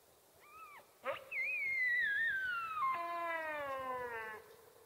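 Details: A sika deer stag (Cervus nippon) in a game enclosure gives a long, shrill whistle sliding downward into a drawn-out, harmonic scream during the rut.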